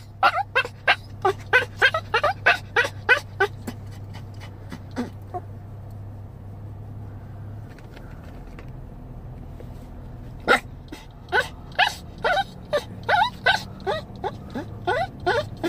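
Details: Chihuahua, seven years old, crying for his dog mom in puppy-like fashion; quick strings of high yelping whines, a pause of a few seconds, then another rapid burst of yelps, low hum beneath.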